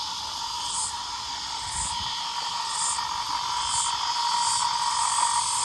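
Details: In November, as spring turns to summer, cicadas keep up a steady, shrill buzzing chorus with brighter hissing pulses about once a second. Frogs are also calling in the area.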